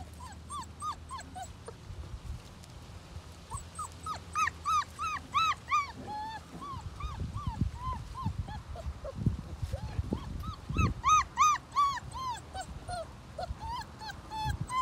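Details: Doberman puppy, female, playing with Togo, who loves her; series of high, arching whimpers and yips in bursts, repeated quickly, with low rumbling and thumping play noises between.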